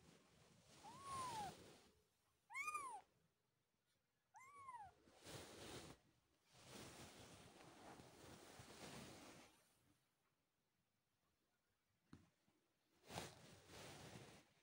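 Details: Newborn kittens opening their eyes for the first time: three short, thin, high arching meows early on, faint against rustling and handling noise, followed by mostly shuffling sounds and a brief click.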